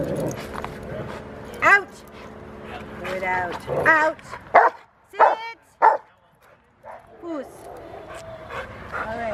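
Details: Rottweiler named Fire at a training session at Victoria Rottweiler Club on October 7, 2019, giving a burst of sharp, harmonic barks in quick succession mid-clip, with people talking before and after.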